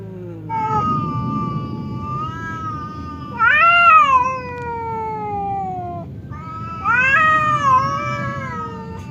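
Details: Angry cat Temon meeting calm cat Lelo, a partition between them preventing a fight; three drawn-out wails, the later ones jumping up sharply then slowly sinking in pitch, over a soft background rumble.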